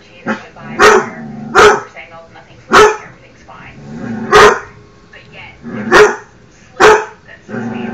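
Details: Pet dog barking at himself, sharp loud barks repeated irregularly about every second, with a soft whining or growling tone between barks.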